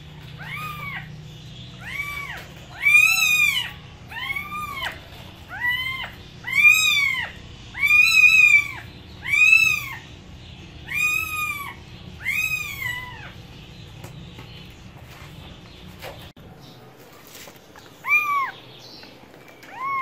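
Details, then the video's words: Cat meowing over a low hum, a steady run of rising-falling harmonic meows roughly every second, then a quiet gap and two more meows near the end. "Cats Voice - Cats sound - Cats Meowing"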